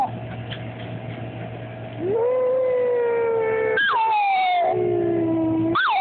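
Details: Poppy, a female cairn terrier pet, howling at the noon siren: after two seconds of steady background tone, a long sustained howl begins, then breaks into a higher rising wail that slides down, with a steady siren-like drone underneath throughout.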